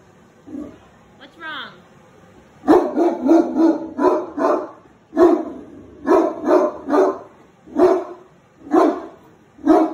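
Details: Great Dane barking at a deer head hanging on the wall, upset by it: a short whine, then loud deep barks in bursts of two or three, repeated about once a second for most of the clip.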